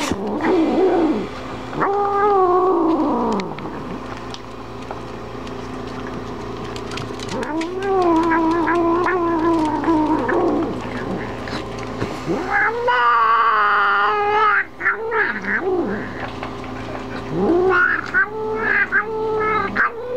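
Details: Female house cat named Momma Kitty guarding her food from dogs, giving long moaning yowls that swell and bend up and down, several drawn-out bouts over twenty seconds, one pitched higher and more strained, indoors.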